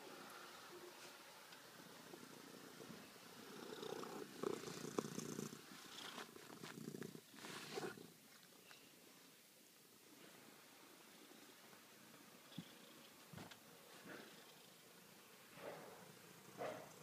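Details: Ferrari the cat purring while crawling on the floor indoors, a soft, steady, low rumbling purr running through the recording, broken by a few brief louder rustles and thumps of movement.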